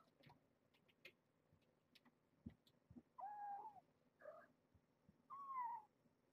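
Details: Foster cats, the mother Alice and her kittens, playing on either side of a latched door; short harmonic meows, two of them drawn out and slightly falling, stand out over soft tapping and scuffling.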